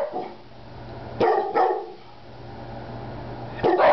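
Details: Speaking on command, the Rat Terrier Peanut gives two quick barks close together, then a pause and a third bark near the end; a big black dog is also in the room and a low hum runs underneath.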